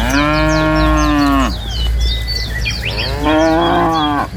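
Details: Dozens of tame cows herded from the forest to their pen; two loud, drawn-out moos about a second and a half each, separated by a pause filled with chirping birds and a low background hum.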